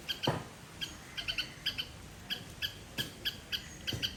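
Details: Loud call of a garden squirrel in Sri Lanka: short, piercing chips repeated in irregular clusters, roughly two to four each second, with a low thump near the start.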